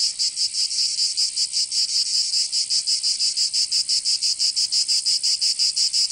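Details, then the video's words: Cicadas of Provence, southern France, singing in summer: piercing metallic buzz pulsing about four times a second in an even rhythm, sustained and loud, the only sound present. "Canto Cigarra 🦗 [ Escuchar les cigarras en verano 10 H]"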